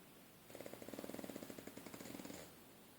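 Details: A pet pug named Ingo sleeping on his back in a lap, snoring loudly like a grown man: a rapid, rattling run of short pulses lasting about two seconds over a quiet room.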